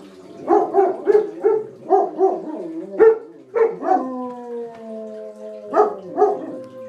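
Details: Two German Shepherds howl at a tornado siren, with short yelping bursts and long wavering tones.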